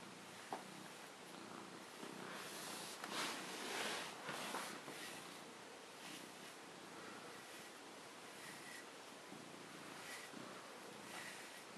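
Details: Male Maine Coon cat purring as he is brushed indoors, a continuous rhythmic rumbling purr with pulsing breaths, overlaid by rustling brush strokes.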